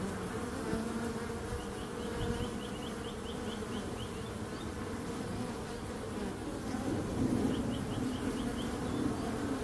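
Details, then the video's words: Bees produce a constant low hum that swells slightly toward the end. Two bursts of quick, high chirping trills from a bird sound near two seconds and near eight seconds. "Relaxing Calming Bees Sound"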